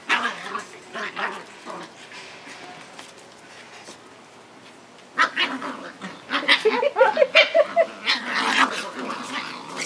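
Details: Seven-week-old Kewbeach puppies at play on a new wobble board on the patio; after a quieter start, a rapid burst of high squeaky yips and short barks tumbles out, with people talking over them.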